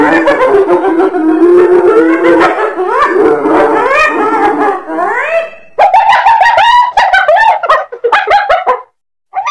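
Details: Hyena vocalising in a dense chorus: rising, swooping whoop-like calls with rich harmonics, then choppy, higher staccato bursts in quick succession, broken by brief gaps.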